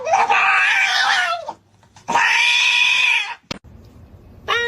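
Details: Fighting domestic cat from a funny pets compilation: two long, loud, strained wailing yowls, each about a second and a half, separated by a short pause, then a sharp click and the start of another cry.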